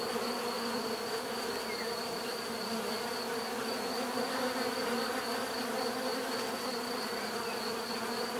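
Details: Dense, continuous droning of bees, layered low hum with steady overtones and a constant high whine, unchanging in loudness throughout, with no other sounds standing out.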